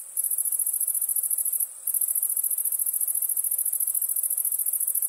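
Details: Night-time crickets give a rapid, shrill pulsing trill, steady and high, broken once by a short pause early on; nothing else is heard.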